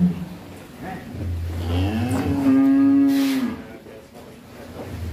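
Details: Bull, rarely let out, raging on first leaving its pen, bellows one loud, drawn-out moo lasting over a second amid low rumbling background noise and a few words from people nearby.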